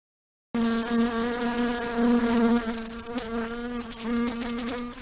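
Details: Housefly buzzing after a brief silence: a steady droning hum with a strong low fundamental and many stacked harmonics, pitch wavering slightly, with a short dip and click-like break near the middle.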